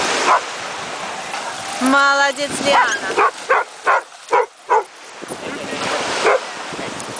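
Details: Cane Corso puppy named Liana at a dog beach: a brief high whining yelp, then a run of about six short, sharp barks roughly every half second, over steady surf hiss with a person giving commands in Russian.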